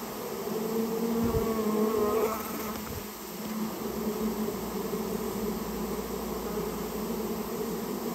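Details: Japanese honey bees from a nest inside a storehouse, buzzing during removal of the colony: a constant low drone with a brief brighter whine in the first seconds, then an even hum.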